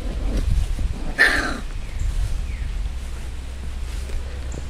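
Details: One bright, brief yip rings out from Tessa's seven-week-old Chihuahua-Beagle mix rescue puppies, followed by quieter room noise and low rumble.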